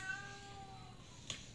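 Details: Miko, a cat stuck up on roof tiles and unable to get back down, gives one long, drawn-out, steady meow lasting about a second, fairly faint against a background hum, followed by a short click.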